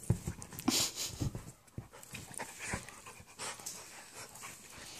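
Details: Labradoodle Bernie and Italian Greyhound puppy Brutus playing together, Bernie excited yet gentle; rapid breathy panting bursts, loudest in the first second and a half, then steadier softer puffs indoors.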